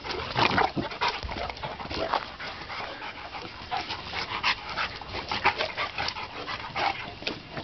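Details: Pair of dogs at play in a backyard: harsh breathy pants and short snorting bursts, irregular, with scuffling underneath.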